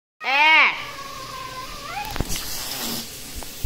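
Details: Cat during a fight: a loud, harsh, arching yowl lasting half a second, then a drawn-out lower wail that bends upward at its end, followed by clattering knocks and hissing noise.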